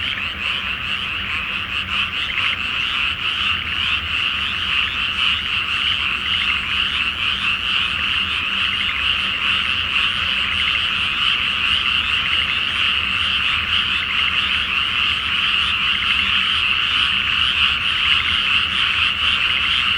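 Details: Nighttime frog chorus from a flooded Japanese rice field before planting, under a full moon; countless frogs produce a steady, loud, buzzing wall of croaks, individual pulses blurring together, slight low hum beneath.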